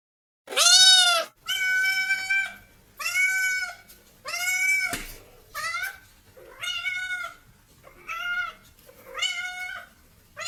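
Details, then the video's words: Domestic cats meowing: eight clear, drawn-out harmonic meows with bent, rising-then-falling tones, spaced about a second apart in a quiet setting. "Cats Meow 10 Minutes of Cats Making Meow Sounds"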